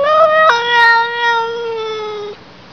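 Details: A cat gives one long, drawn-out meow lasting about two seconds. It opens with a short higher note, drops slightly, then holds a steady, even tone before it stops abruptly. The background is quiet.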